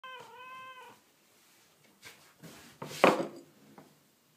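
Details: Kitten that turns up for food in the rain, arriving while it is still raining; a single clear, rising-then-falling harmonic meow lasting about a second, followed by soft rustling and a louder burst of handling noise.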